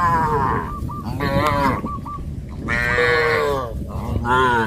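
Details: Cows of a traditional village herd heading to green grass fields give long, rich moos with clear harmonic bands, two main drawn-out calls separated by a brief lull over low background rumble.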